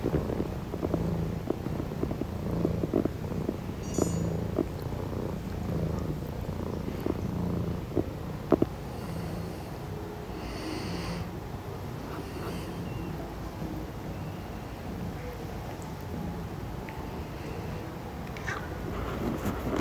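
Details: Richie, a 6-month-old Maine Coon kitten, purrs while his 2-year-old father Amur washes him. A low, steady rumble runs throughout, with scattered rustling and licking noises and a few brief higher clicks.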